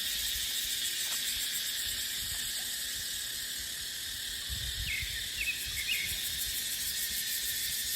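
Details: Steady high cicada hiss fills dry dipterocarp forest in the dry season, slightly quieter here. A few short bird chirps come in the second half, and wind rumbles low beneath.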